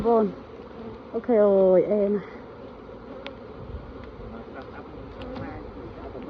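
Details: Bees at a Khmer honey farm: a steady low droning hum runs throughout, with a man talking loudly in Khmer over it during the first seconds.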